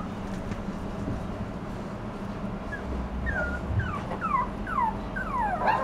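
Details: Toy Poodle puppy, quiet at first over a low hum, then breaks into a series of falling, reedy whimpers that grow louder and quicker toward the end.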